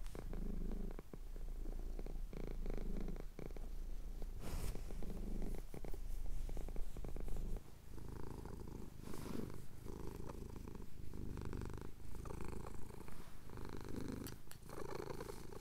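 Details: Low rhythmic purring from a male pet cat getting his chin scratched at dawn in the Cotswolds, captured on a Tascam DR-07X; the rumble pulses with breathing throughout, interrupted by brief rustling and scratching noises.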